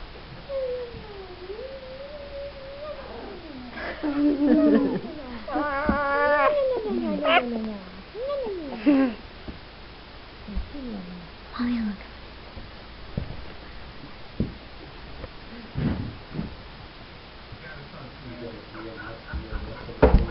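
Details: Whines from four-week-old Wheaten Terrier puppies: drawn-out, wobbling squeals rising and falling, several pups chiming in together, then scattered short yips and soft rustling.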